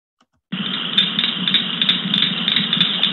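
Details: Cricket frog, a summer caller of the New Jersey Pinelands, played back from a recording: a dense, rasping clicking chorus with regular rapid pulses, likened to running fingers along the bristles of a comb, after a brief silent start.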